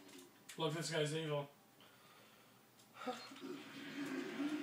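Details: Havoc, a Siberian Husky, grumbles in a small room, protesting at being kept off the bed. One rich, wobbling, moaning utterance lasts nearly a second, followed by quieter muffled sounds.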